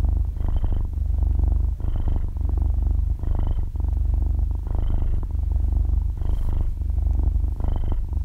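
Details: Half-year-old kitten purring in its sleep, captured at close range; deep continuous motor-like rumble, rising and falling in breaths roughly every one and a half seconds, nothing else audible.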